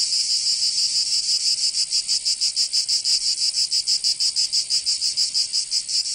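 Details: Loud sizzling drone of cicadas on a summer day in Provence, France, throbbing in rapid regular beats without pause, no birds or people heard.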